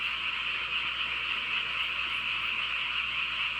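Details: Many frogs calling together at night in the countryside, their voices merging into one continuous, even, high-pitched croaking drone with no gaps.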